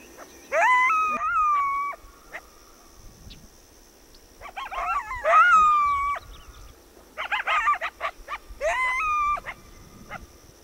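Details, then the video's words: Coyote calling in bursts. High, wavering howls rise and fall, mixed with clusters of quick yips and barks, in three separate bouts across the recording with a faint hum behind. "Coyote and wolf sounds"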